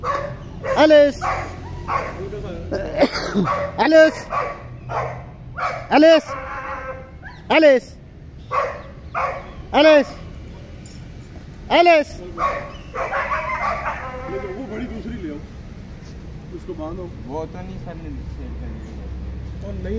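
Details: Pet German Shepherd and Boxer dogs bark in an irregular series of strong, harmonic woofs for about twelve seconds, followed by quieter, scattered yelps and low background sounds.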